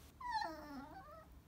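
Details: Chihuahua crying: a high whining whimper that slides downward, wavering, lasting about a second, with a woman speaking softly around it.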